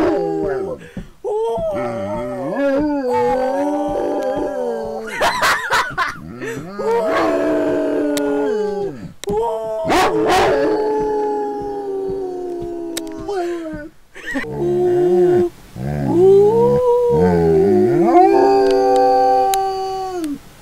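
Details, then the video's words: Gracie, a pet dog, howls in long drawn-out tones that rise and fall, broken by short yips and gaps, with a person laughing and talking affectionately to her between the howls. "My Dog Gracie Howling"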